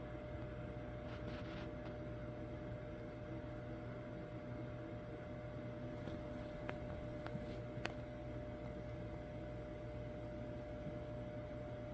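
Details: Steady electrical hum and hiss fill a room, broken only by a few faint clicks, with no animal sound.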